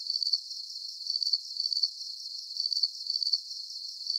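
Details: Calming cricket sounds meant as a sleep aid: quick pulsed high chirps arriving in pairs and short groups, separated by brief gaps, over an even high-pitched background drone.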